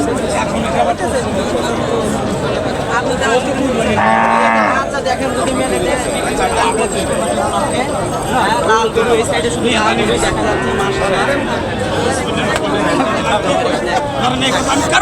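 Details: Heifers offered for Qurbani Eid at a cattle market in Kazipur, Sirajganj, Bangladesh, on 1 June 2025. A single low, drawn-out moo sounds near the middle, surrounded by steady crowd chatter and people talking throughout.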